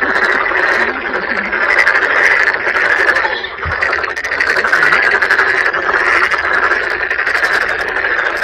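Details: Toads calling together in a large group at Sangdang Mountain Fortress in Cheongju, South Korea, alongside many tadpoles; an unbroken wall of rattling croaks with slight rises and dips in loudness.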